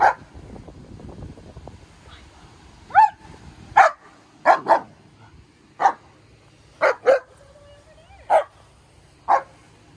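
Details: Maya, a strong female German Shepherd just over a year old who barks at a lot of things, at an off-leash obedience training session in Detroit: sharp single barks, spaced irregularly about a second apart, with about ten over a quiet background.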